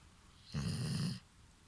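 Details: Asleep, the five-year-old Golden Retriever bitch Hana gives one deep, gravelly snore of roughly two-thirds of a second, low and rasping like a man's, then the room falls quiet.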